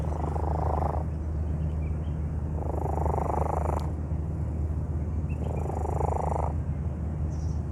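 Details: Sick, calm cat found in a park, breathing abnormally close to the microphone: three harsh, noisy breaths of about a second each, spaced roughly two and a half seconds apart, over a steady low rumbling drone.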